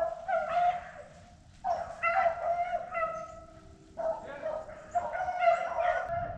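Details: On a cold, dry day, hounds run a rabbit jumped in a thick thicket, baying in long, drawn-out, ringing notes. It is a short run that ends when the rabbit is killed.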